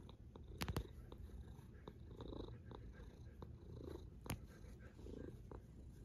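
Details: Sleeping cat snoring softly: a steady low rumble with slow, soft breathy swells rising every second or so, and a few sharp clicks breaking through.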